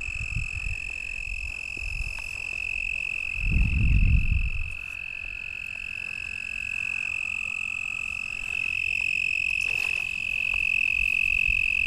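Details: At Lake Worth, Texas, on 24 April 2010 just after dark, a close toad, thought to be an American Toad, gives a steady, high, unbroken buzzing trill near rustling, with a Fowler's Toad thought to be calling in the distance.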